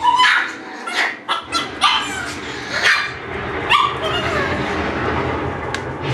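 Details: Young Shiba Inu puppies yipping repeatedly, about every half second to a second, with brief high squeaky cries set against continuous low rumbling and shuffling noise.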